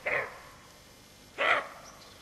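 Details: Alert roe deer doe with her fawn giving two rough, hoarse barks about one and a half seconds apart, each short and explosive, with little else audible.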